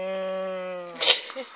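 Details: A Siberian Husky on its owner's bed at bedtime, refusing to get off, gives a steady, drawn-out, moaning grumble ending in a breathy huff while being told to come off.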